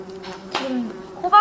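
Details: Captive bumblebees in a kept colony give a low, steady droning buzz from their beating wings, a sound said to come with stressing them.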